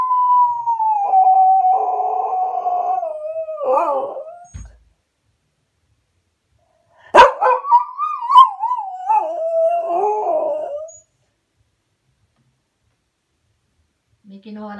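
A Cocker Spaniel cries in long, wavering whines that slide down and break into rough, howling wails.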